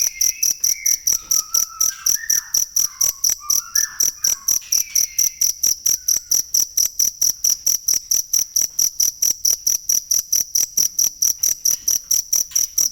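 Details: Rapid, ringing chirps of a cricket, intended as a model for training songbirds, keep a regular beat of nearly four a second; in the first few seconds a series of thin whistled notes at lower pitch overlaps the pulsing.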